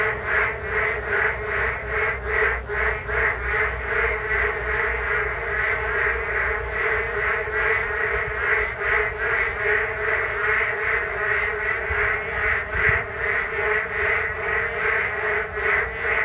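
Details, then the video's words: Frogs chorusing along a walking path by the Geum River on a rainy day: a dense, continuous wall of croaks pulsing about two to three times per second, with a steady low rumble underneath. "비온날 금강변 산책로 개구리들의 떼창"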